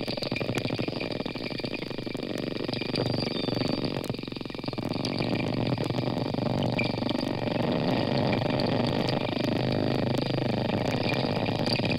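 Steady rushing, bubbling water noise with a low rumble, and no clear animal voice.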